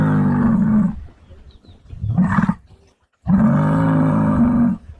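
Muskox giving two deep, guttural, drawn-out roars, each about a second long, with a brief human exclamation between them.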